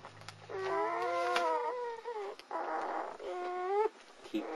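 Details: Three male German Shepherd puppies, born 18 February 2009 at the Vom Barron's Pride kennel, cluster together for body heat and whine. Their nasal, wavering whines are held for a second or more each, with short gaps and soft rustling between them.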